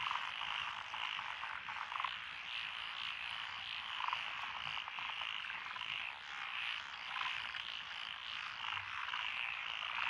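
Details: Rural lotus rice paddies in Echizen, Fukui, Japan, 12 June 2021: a mixed frog chorus of Japanese tree frogs, Tokyo daruma pond frogs, wrinkled frogs, Schlegel's and forest green tree frogs, continuous rapid croaks layered densely with no pause.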